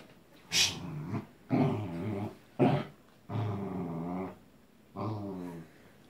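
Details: A pet Corgi growling because it wants to play, five rough, low grumbling bursts of about half a second to a second each, separated by short pauses, indoors.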